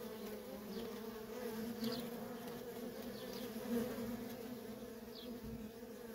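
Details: Feral colony of honey bees, worker bees in constant traffic, producing a smooth low humming drone with a layered overtone, swelling slightly at moments as individuals fly near. Scattered faint high chirps.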